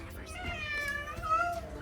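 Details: Cat at an animal sanctuary meowing: a drawn-out, wavering tonal meow lasting over a second with a rising note near the end, under low background rumble and faint chatter.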